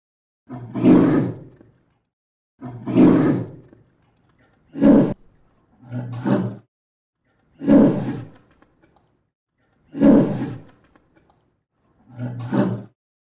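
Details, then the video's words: Polar bear roaring: seven deep, rough, drawn-out roars, each about a second long, spaced roughly two seconds apart with silence between. "POLAR BEAR VOICE | ROARING"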